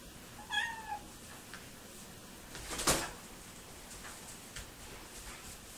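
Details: Purebred male Sphynx kitten, blue in colour, born July 17, 2018, in Montreal, Canada, gives one short, high meow that falls in pitch, followed by a smaller meow, a sharp knock and a few faint clicks indoors.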